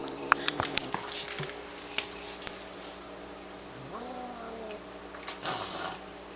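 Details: A domestic cat growls while eating, a low drawn-out growl that swells and fades amid clicking and chewing, annoyed because another cat is bothering her.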